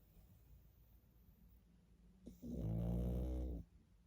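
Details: Single heavy snore from a sleeping pug after soft breathing, a low vibrating nasal drone with strong harmonics lasting just over one second, then quiet.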